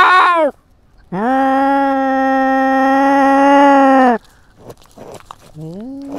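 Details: Cat fitted with a GoPro in a territorial fight: a short falling cry, then one sustained flat yowl lasting about three seconds, followed by quiet rustling and a brief rising wail at the end.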